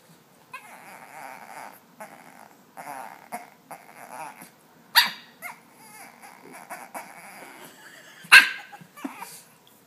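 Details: Puppy grunting indoors: short, nasal, whiny grunts come in bursts of varying length, broken by two loud sharp knocks around the middle and end.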